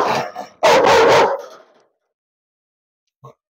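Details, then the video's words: A Rottweiler described as a biter, kept in a cage, gives one loud, harsh, drawn-out bark, then goes quiet, with one faint short sound near the end. "കടിയൻ rottweiler challenge"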